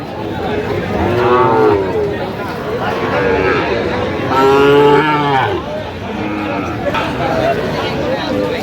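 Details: Sahiwal bull calves at a Tuesday cattle market in Swapnapuri, Nawabganj, Dinajpur, Bangladesh; several drawn-out, harmonic moos, one long and loud near the middle, over steady crowd chatter and talking people.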